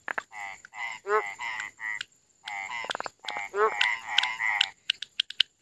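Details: At night in India, frogs give grating, pulsed croaks in clusters separated by short silences. Twangy, rising notes and a burst of sharp clicks close the sequence.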